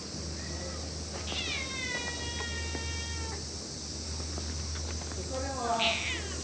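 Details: Playful stray cats gathered around a waiting room, several meows with stacked harmonics, one long falling call near the start and a short high squeal near the end, over steady low hum and background chatter.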